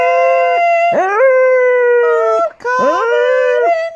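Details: An 8-year-old female Golden English Cocker Spaniel howls along to "On Top of Spaghetti" in a morning sing-along with her owner, in sustained, wavering tones with abrupt upward swoops between notes.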